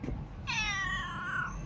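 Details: Single clear cat meow lasting about one second, bright and nasal, holding steady then sliding down in pitch at the end, over a low background hum.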